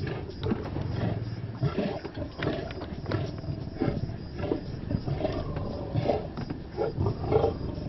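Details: Deep, rough rumbles from male lions feeding on a buffalo kill in the Maasai Mara, Kenya, with low droning growls and repeated harsh, noisy bursts of sound.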